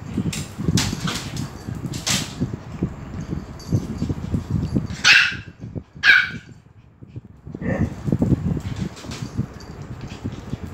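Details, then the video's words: Dogs at Phuket Dog Resort, among them Pomeranian Fendi, Lucky, Pam and Gaby, excited as Fendi arrives; a few sharp barks stand out over steady low rumbling and handling noise, with a pause in the middle. "Pomeranian FENDI coming in and all dogs excited"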